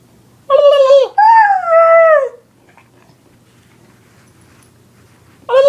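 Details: A dog bothered by annoying sounds lets out a short whine then a longer wavering howl, followed by quiet and the start of another cry at the close.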